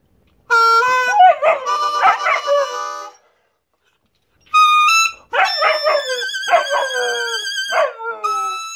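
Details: A female German Shepherd howls along in wavering, drawn-out tones, "singing" to a harmonica playing Whammer Jammer.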